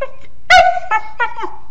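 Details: Sleepy mastiff puppy indoors "talking", giving three short whiny whimpers in quick succession, the first loudest, the last sliding downward, with a quiet room behind.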